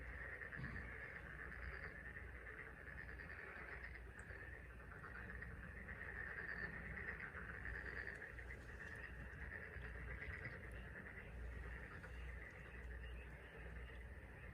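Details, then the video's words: Frog chorus on the Taean Peninsula: a dense, unbroken wall of many overlapping croaking voices forming a steady mid-high band, with a low rumbling background throughout. "개구리 울음소리(태안반도 개구리 합창)"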